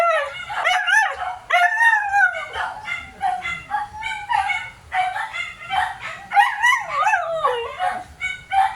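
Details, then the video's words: Several Siberian Huskies making a noisy chorus of wavering, yodel-like howls and whines that rise and fall in pitch. The overlapping, tonal calls run almost without pause, with brief yips between longer drawn-out notes. "Ingay ng branded na mga aso Husky"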